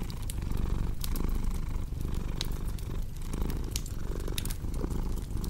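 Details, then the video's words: Soft, deep cat purr rumbling beneath frequent sharp fireplace crackles, its breath rhythm less distinct than the snapping wood. "Purring Cat with Cozy Crackling Fireplace Sound"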